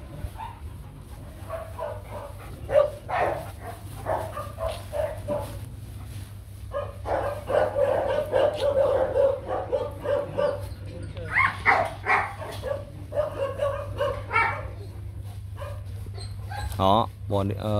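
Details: Nano, a young Rottweiler male bred by the Gervi kennel for stud, barking in irregular bursts, with a dense run of rapid barks in the middle and scattered yips near the end, above a constant low-pitched hum.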